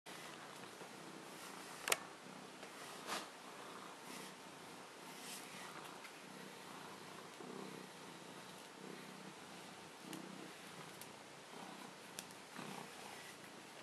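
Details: A male Maine Coon cat that loves being brushed purrs softly and steadily under the sharp, scratchy strokes of a brush.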